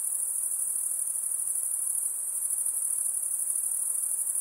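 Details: Steady, very high-pitched insect trilling, a constant shimmering whine with rapid pulsing and no gaps, faint hiss underneath.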